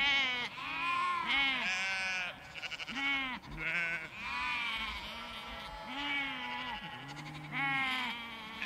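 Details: Large flock of sheep with lambs in a field, bleating almost continuously: overlapping harmonic bleats, deep low ewe calls mixed with higher quavering lamb cries, several voices at once with only brief gaps.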